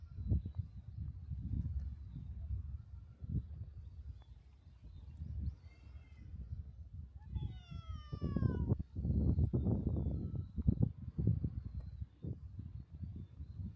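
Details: Cat on the seaside breakwater of a cat island, where cats sleep and kittens play by the sea; two drawn-out, wavering meows arrive a couple of seconds apart, the second higher and bending downward, over steady low rumbling wind and surf.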